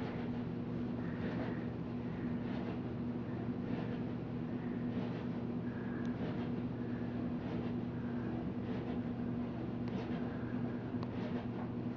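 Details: A steady low mechanical hum like an engine or appliance continues throughout, with faint broadband rustles and no clear animal voice.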